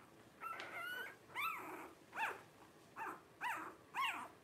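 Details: Thin arched whimpers from twelve-day-old blenheim Cavalier King Charles Spaniel puppies, one of Paris and Spike's litter of five, come as a longer quavering cry and then short rising-falling yips roughly every half second.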